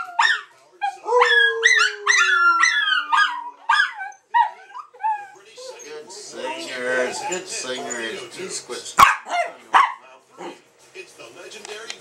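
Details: Three dogs singing together in a chorus of high, wavering howls and short yips for about four seconds, fading into scattered barks, then people talking and a sharp click.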